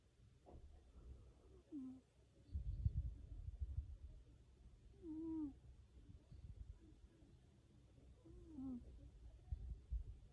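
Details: A domestic cat snoring: low, rough rumbling breaths, each ending in a short squeaky, whining upward-then-falling note, repeating about every three and a half seconds.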